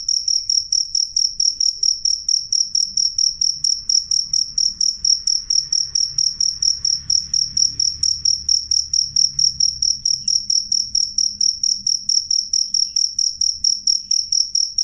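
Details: Cricket chirping loudly and clearly, a high shrill pulse repeated steadily about four times a second, with a faint higher overtone and a soft low rumble underneath throughout.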